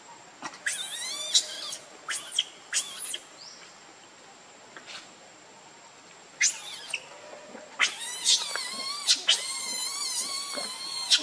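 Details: Baby monkey named Leo, hungry and begging its mother for milk: bursts of shrill, wavering harmonic squeals, brief at first and then a long run of near-continuous high crying over the last few seconds.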